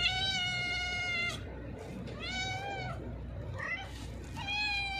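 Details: A hungry, thin stray cat with a severed leg gives four loud, harmonically rich meows while being fed, long and steady at first, then shorter and rising, with a low background rumble.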